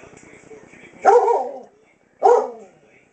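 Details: Seven-year-old female German Shepherd Dog going blind, barking indoors at night at a wall clock she takes for a head and face: two loud, gruff single barks about a second apart after soft murmuring.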